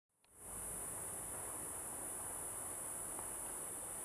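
A cicada's unbroken, very high-pitched sizzling song starts abruptly and holds steady.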